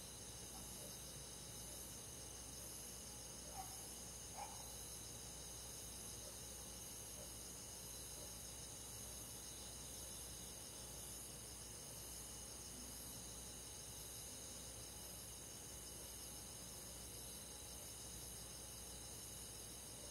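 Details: Crickets on a summer night in the countryside, a soft, steady high chirring chorus of many insects with layered pulsing bands, continuous throughout, two faint brief clicks near the start, quiet rural night background.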